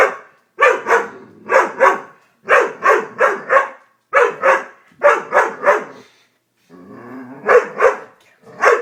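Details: Doberman frightened by a prank, barking rapidly and insistently in clustered volleys of two to four harsh barks, with a rumbling growl-like stretch during one gap.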